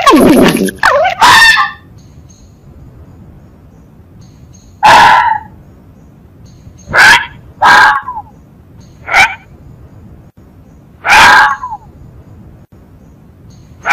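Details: Fox tauteo heard as scattered short, harsh yelps, an opening cluster of rapid cries, then single clipped barks spaced one to two seconds apart against near silence.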